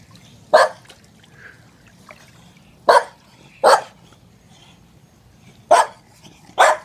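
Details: Staffordshire Bull Terrier barking while playing and running around a pool: five loud single barks spaced unevenly, with a faint trickle of water in the quiet background.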